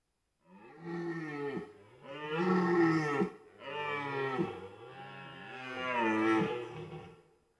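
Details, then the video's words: Red deer during the 2023 rut in Białowieża Forest, Poland: four long, deep, harmonic roars in close succession, each swelling and then falling away, separated by brief gaps against a quiet background. "Rykowisko 2023, ranny jeleń"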